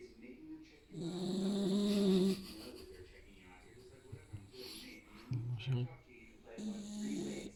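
A sleeping Staffordshire Bull Terrier snores in low, rasping rumbles separated by quiet breaths.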